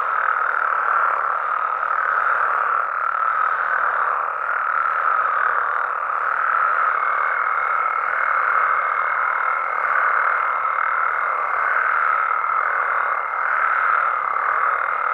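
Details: Nighttime chorus of Mexican frogs and toads in natural habitat, a continuous mass of overlapping croaking voices at steady loudness; a thin higher sustained tone joins from midway through and carries on to the end.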